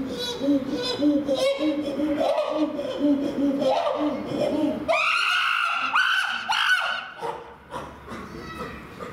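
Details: Chimpanzee barking at Tennoji Zoo, a call used to threaten others, claim territory or react to the opposite sex; steady hooting notes repeat quickly for about five seconds, then rise into loud, high screaming calls amid visitors' voices.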